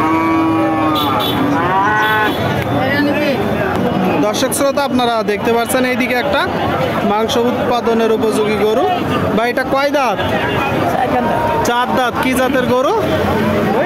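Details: Cows at the Satmile cattle market in Jashore, Bangladesh, on Tuesday 22 October 2024, thin cows sold for fattening; a drawn-out, low, harmonic moo opens the recording, then steady crowd chatter and overlapping voices fill the busy market.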